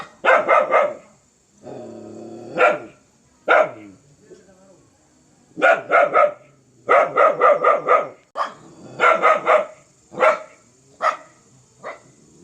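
A dog gives loud, harsh barks in rapid runs, often three to five in a row, then pauses and starts again. Some barks come singly, and a low rumbling growl is heard between bursts.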